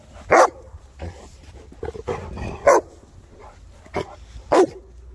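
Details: Playing Boerboels, three South African mastiffs: four loud, punchy barks spaced irregularly over five seconds, with softer huffs and movement noise between them.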